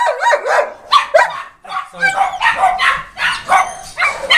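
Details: Boerboels at the Delatro Boerboels kennel, visited on 30 October 2013, giving loud, harsh barks in quick irregular bursts, about eight within a few seconds, some overlapping, with a human voice heard in the background.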